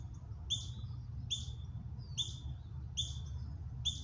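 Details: Juvenile ground squirrels practicing a false alarm call while the mother freezes; sharp high chirps with falling tails, about five in four seconds, above a low background rumble.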